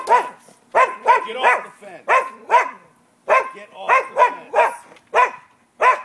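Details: Neighbouring dogs barking continuously around noon on 5 November 2015: harsh, resonant barks pour out almost without pause, about ninety a minute in uneven doubles and triples.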